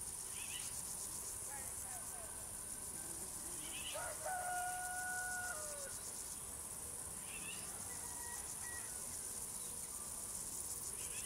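Crickets keep up a steady, very high-pitched pulsing trill, with a few bird whistles behind.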